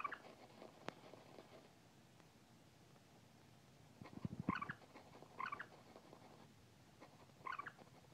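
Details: A Siamese cat playing with an iPad mini and trying to attack an on-screen mouse gives brief, rising chirpy calls spaced a second or two apart, over a quiet room hum.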